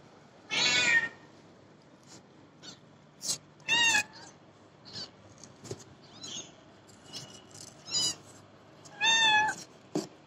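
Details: Babi, a pet cat, meows repeatedly: a loud opening mew, then several shorter harmonic cries at irregular intervals, with a final strong meow near the end, indoors with little background noise.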